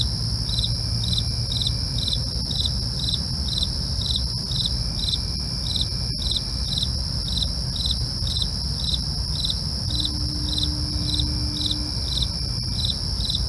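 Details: Crickets calling in the night, with evenly spaced short chirps about two per second over an unbroken high-pitched trill, a low steady rumble and a faint clicking pop.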